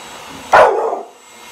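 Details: Single sharp bark from an eight-month-old American Bully puppy given a teddy bear as a birthday present, one loud burst that trails off quickly. A person shouts just before.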